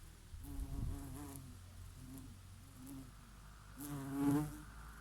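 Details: Bees grazing on oregano flowers, their favourite, on a summer day. A low droning buzz wavers and swells, with several overlapping passes, the loudest close approach near the end. A soft summer breeze sits behind it.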